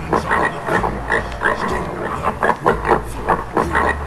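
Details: A Swedish wild boar utters clipped, gruff grunts about three or four each second, some slightly louder and tonal, above a persistent low rumble.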